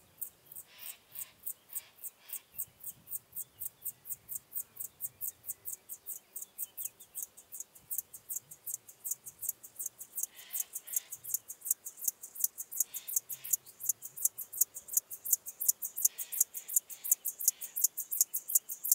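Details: Chorthippus apricarius, the locomotive grasshopper, singing at Moosham, Austria, on 9 October 2020: a long train of rapid, evenly spaced high buzzy pulses, nearly three per second, growing louder, with faint lower chirps from other insects behind.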